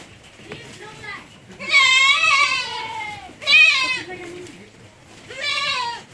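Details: F1 Anglo-Nubian goat on a goat farm in San Carlos City, Negros Occidental, Philippines, giving three loud, wavering, nasal bleats, the middle one short and the others drawn out, with faint background noise between calls.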